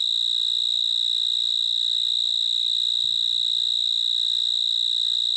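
A cricket gives a steady, high, ringing chirp that pulses rapidly and evenly without pause.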